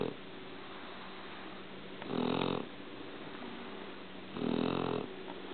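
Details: Shar Pei snoring in its sleep, two buzzy, rattling inhalations about two seconds apart over a constant background hiss.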